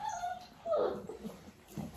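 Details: Dalmatian puppy, nearly six weeks old, during clicker training with its mother Arya nearby; a thin, high whine slides downward and fades into a softer, breathy whimper, with a quiet room behind.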